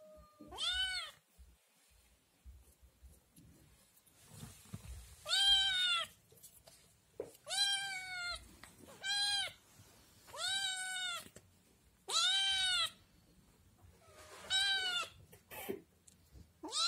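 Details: Scottish Fold kitten, one of three born to the mother cat Chloe and still nursing, crying loudly for food at home after spotting yogurt: bright, high, arching meows, each under a second, repeated about every two seconds, with quiet gaps between.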